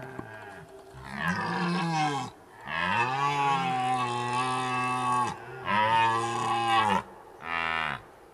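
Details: A red deer (Cervus elaphus) stag gives several deep, drawn-out roars in quick succession during the rut in Zvārde, Latvia.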